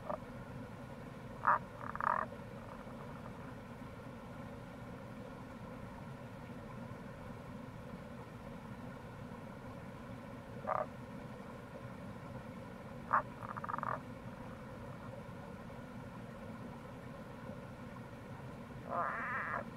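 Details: Tago's brown frog in April beside the Kamo River gorge in Itoshima, Fukuoka, Japan: quieter, more distant sharp croaks and short purring notes spaced far apart, under a louder wash of running water.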